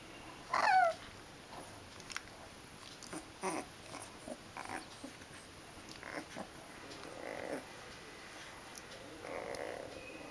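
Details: Liver-and-white male dog growling and howling; a single loud, short, falling whine-like howl near the start, followed by quiet scattered grumbling and rumbling sounds with a soft breathy growl toward the end.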